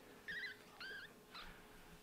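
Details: Active baby kitten poking its face out from its mother's belly indoors, giving three thin, high mews, each briefly rising then falling, spaced about half a second apart in a quiet room.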